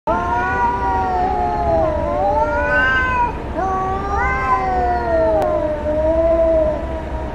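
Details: Cats fighting: loud, drawn-out wailing yowls with rich harmonics, voices overlapping and bending up and down in long wavering sweeps, rising sharply near three and four seconds, over a low steady background hum.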